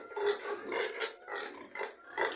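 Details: A boar in a farm pigsty, reportedly already ill, screams in harsh, repeated bursts. He constantly yells and protests when other pigs get food and he doesn't, while a sow climbs on him.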